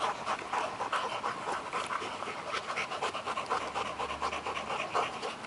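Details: Two dogs, a 10-month-old Working Mastiff pup named Nobi and an 8-year-old Bull Terrier named Tasha, chase each other for a stick; rapid rhythmic panting with breathy bursts throughout.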